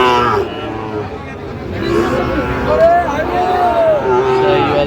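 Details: Bellowing Sahiwal bull at a Narayanganj cattle market, 30 January. Several arching, wavering lows rise and fall over the last half of the clip, mixed with men's voices calling out the breed and prices.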